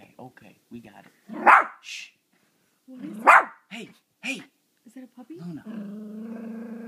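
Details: Six-month-old Yorkshire Terrier indoors, barking and growling at a bobble-head dog frozen on a TV screen: two sharp, loud barks about two seconds apart, softer grunting yips between, then a steady low rumbling growl at the end.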